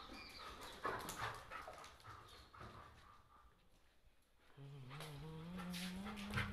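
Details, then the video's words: Angry Doberman: a few sharp, harsh bursts in the first seconds, a quieter stretch, then a drawn-out low tonal sound with clear harmonics that slowly rises over the last two seconds; faint voices in the background. "Angry Doberman"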